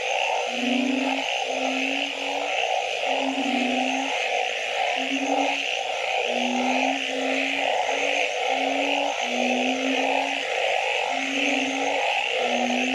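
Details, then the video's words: Night frog chorus in which low, level droning notes come in a regular string, roughly one per second. A thick, grainy mid-range chorus and an unbroken high hiss fill the background. "Nighttime Frog Symphony"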